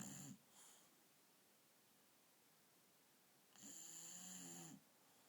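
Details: Akira, a female dog sleeping on a bed at night, ends one snore and puffs softly, then after a quiet pause gives another long rasping, whistling snore lasting about a second.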